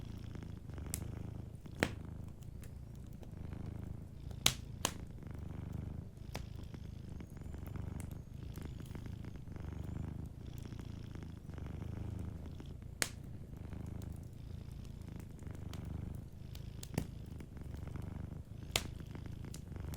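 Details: Soft purring from a sleeping cat by a cozy fireplace, the low continuous rumble rising and falling in slow breathing cycles while the fire snaps and crackles with occasional louder pops.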